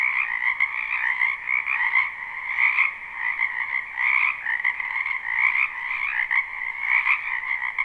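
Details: Numerous frogs calling together in a spring wetland near a house, unlooped live sound; thick, rattling croaks stacked in two pitch bands, loudness rising and falling in short waves about every second.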